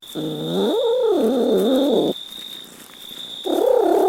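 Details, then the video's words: Cat uttering a long, wavering meow of about two seconds that rises and dips in pitch, then a pause and the start of another meow, with a faint steady high whine behind. "Funny Cat Sounds"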